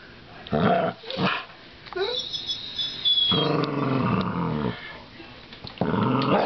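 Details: American Staffordshire Terrier battling a coat hanger in play: rough, harmonic growls come in short bursts, then a longer rumbling stretch and a final burst, with a high whining squeak and some human voices.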